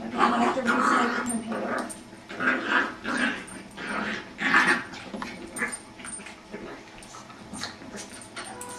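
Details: A Jack Russell terrier puppy playing with a beagle makes odd whining, grumbling noises in short repeated bursts, with people talking nearby.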